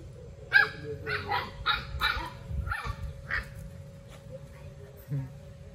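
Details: Playing puppies let out a quick run of high yapping barks in the first half, then a couple of softer yips, with a constant low hum and occasional human speech.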